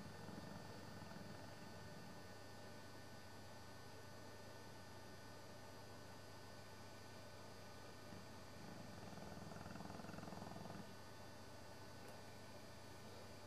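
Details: English Bullmastiff Sabre, an old dog napping on a Sunday afternoon with flapping jowls, snores low and raspy at the start and again around nine to eleven seconds, with soft breathing and hum between.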